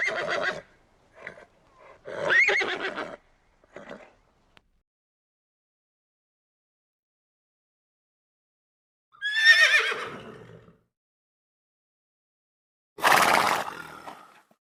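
A horse gives several whinnies, shrill quavering neighs that rise and then fall away.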